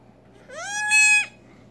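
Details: Newborn female Nigerian Dwarf goat kid, just over six hours old, unable to walk or feed on her own, bleats while being syringe fed colostrum: one high, nasal cry that rises briefly and then holds steady for under a second.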